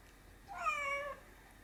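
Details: Pet cat darting about after light reflections on the ceiling, giving one soft, clear harmonic meow of well under a second that dips slightly at its end; otherwise a quiet indoor room.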